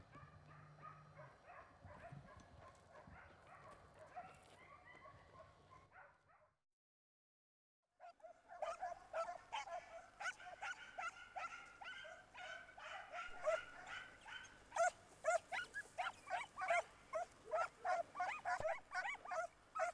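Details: Pack of Segugio Italiano hounds in Italy giving tongue while chasing a hare through orchards and a large vineyard: a busy chorus of overlapping baying yelps, a brief gap of silence, then denser, louder cries repeated rapidly.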